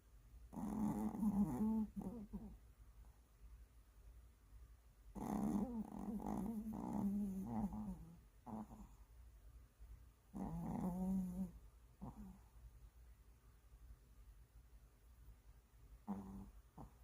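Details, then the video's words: Tired Maltese dog snoring indoors: three long, raspy, growl-like snores roughly five seconds apart, each followed by a shorter snort, with quiet breathing between. "고단하신 말티즈"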